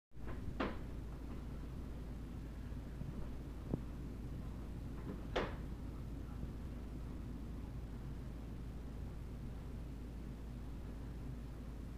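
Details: Low indoor hum fills the background, broken by two or three sharp knocks or clicks like a cupboard or door closing. No howling or other animal sound can be picked out.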